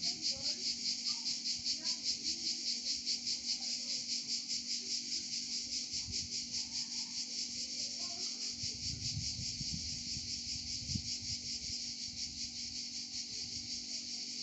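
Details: Cicadas in Provence sing a sustained, high, sizzling buzz that beats in fast, even pulses. It is strongest early and eases slightly later, with some low murmuring and knocks partway through.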